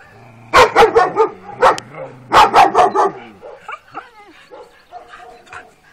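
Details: Twelve-week-old working-line Kuvasz puppies out on their first walk along a street, giving clusters of loud, rough barks in two bursts, followed by softer yips and a wavering whimper.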